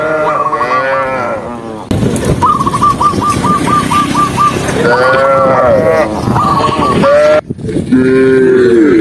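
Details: Herded tame cows on an afternoon walk through mountain scenery; several drawn-out moos with stacked harmonics overlap, alongside a high rapid warbling call repeated in quick pulses and loud shuffling background noise.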